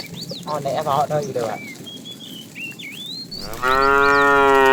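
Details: Tame cows wandering the road looking for food; a short, warbling low call early on, bird chirps in between, then a loud steady moo beginning near the end and cut off.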